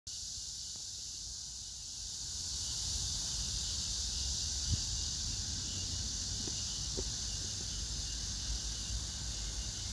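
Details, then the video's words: Cicadas calling on August 9, 2024 among pink crape myrtle blossoms at Hwarang Park near Gyeonggi Museum of Art, Choji-dong, Danwon-gu, Gyeonggi-do, with grass insects: a steady, high, hissing drone that never breaks, over a low background rumble. "매미 울음소리 풀벌레소리"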